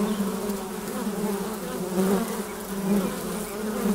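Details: Constant humming of many honey bees at the flight hole of a hive; a steady low buzz with stacked overtones, small surges around the middle and near the end as bees pass by.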